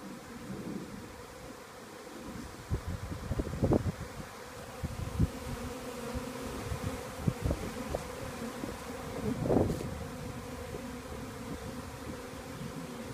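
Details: A Western honey bee swarm that has just left a beekeeper's hive moves to settle on a nearby small tree, making a thick droning buzz that swells and fades, with louder close passes over soft wind; Western honey bee.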